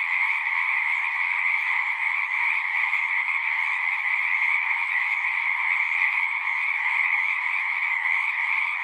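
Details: Frogs singing at a pond in a horse pasture, recorded with a Zoom 6: a dense, unbroken chorus of overlapping trilling voices forming a steady high wall of sound with no pauses.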